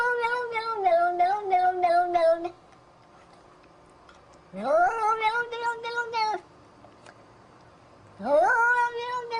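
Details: Domestic cat producing weird, strained, growly yowls: three sustained wails, the later two sliding upward at the start, each with a rough, pulsing buzz running through the tone, separated by silences.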